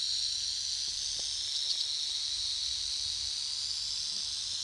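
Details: Prairie rattlesnakes at a huge den in Colorado, holding hundreds or likely thousands of snakes, rattling defensively out of fear of a nearby person; a continuous, dense high buzzing hiss of many rattles, steady throughout with no pauses.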